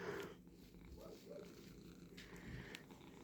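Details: Domestic cat purring while being brushed indoors. A soft, steady low rumble runs throughout, with faint rustling and a few short higher sounds.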